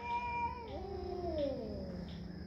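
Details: Cat's tense wail starting high and steady, then dropping into a lower, wavering, descending moan that trails off over two seconds, against a constant low hum.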